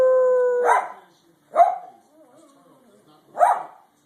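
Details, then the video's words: Jeter, a dog making funny noises, gives a steady held tone that breaks into a sharp bark-like burst, then two more short yelping, howl-tinged calls spaced about two seconds apart, with a faint wavering whine between them. "Jeter makes funny noises"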